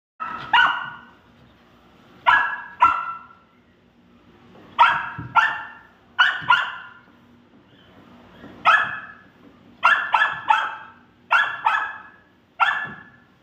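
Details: A golden retriever puppy gives sharp, high barks, singly and in quick pairs or triplets.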